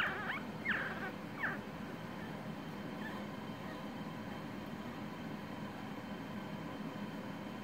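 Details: Havanese puppies born 21 October 2019 give three or four short, high, squeaky yelps in the first two seconds, then fall quiet over a steady low room hum.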